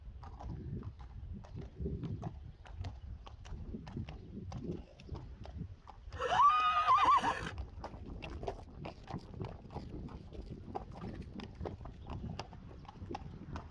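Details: Morning, Friesian horses led back indoors after their first night outside, others following the herd. One loud, shaky, descending whinny midway through, framed by steady clip-clopping hoofbeats and a few spoken words.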